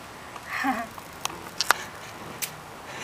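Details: A squirrel sneezing: a soft breathy wheeze early on, then a few tiny clicks and one sharp, explosive snap of a sneeze, followed by another brief click, all in a quiet room.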